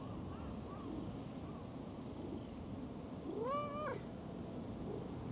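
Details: Park stray cat resting near a pond pavilion lets out one clear, rising-then-falling harmonic meow, preceded by faint soft mews, against a constant low outdoor hum.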